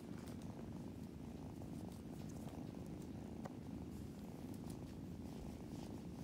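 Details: Several tired kittens being cuddled and given belly rubs purr in a low, steady rumble that pulses continuously without pause.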